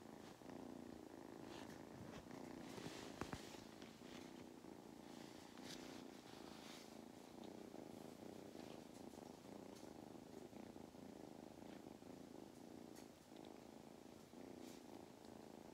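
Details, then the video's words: Long, even purr from Mustard, a cat now craving attention and belly rubs on an Irish farm in County Kilkenny; a constant rumbling drone, occasional clicks and rustles of handling. "Mustard’s motor is in excellent condition."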